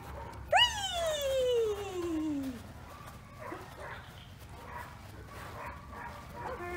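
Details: Clover, a young female Border Collie at a dog obedience class, gives one loud high whine that slides steadily downward for about two seconds, then fades into quieter background room noise with faint distant sounds.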